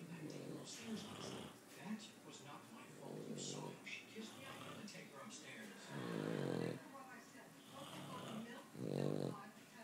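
A Boston Terrier snores in slow, rumbling breaths, alongside a sleeping person's heavier snores.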